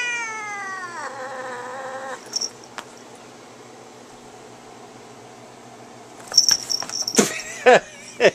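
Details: Domestic cat fighting in attack mode; a long harmonic yowl sliding down then holding steady for about two seconds, a quiet gap, then harsh bursts of hissing and spitting near the end.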